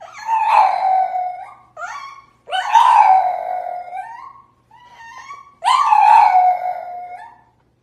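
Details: French Bulldog in a small indoor room giving three drawn-out, mid-pitched howling whines, each starting high and sliding down, with short quieter yelps between them and brief silent gaps.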